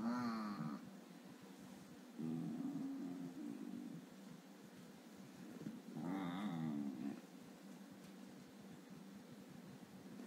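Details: Basenji male woken from sleep on purpose so he won't learn to bite, grumbling in displeasure ('wakes up bad'); three low, throaty grumbling bouts, the first opening with a brief higher whiny edge, separated by quiet pauses indoors.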